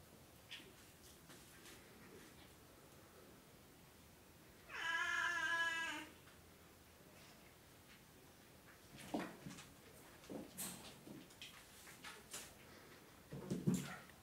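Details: Cat named Edelweiss from the Russian Meekahoo cattery of oriental and siamese cats, indoors; a single loud, drawn-out meow of just over a second with rich stacked harmonics, followed by soft clicks, rustling and light tapping.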